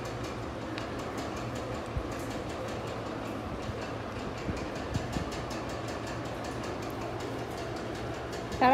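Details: Rattling rail carriage rumble with rhythmic clicks and faint speech, no animal sound.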